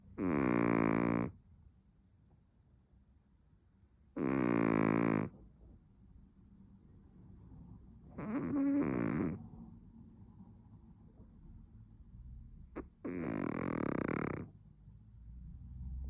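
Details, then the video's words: Chihuahua snoring: long, droning, harmonic-rich snores about a second each, repeated roughly every four seconds, with quiet pauses between and one sharp click just before the last snore. "#chihuahua #snore"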